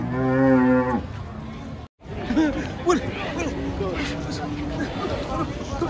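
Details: Agitated bull coming off a truck gives one deep, steady, drawn-out moo lasting about a second. A brief silence follows, then excited people talking and shouting over a crowd.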